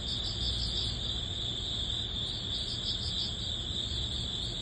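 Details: Grass crickets sing at summer's end in early autumn, a continuous shrill ringing tone layered with rapid beating pulses higher up, the whole chorus unbroken, with faint low background hum.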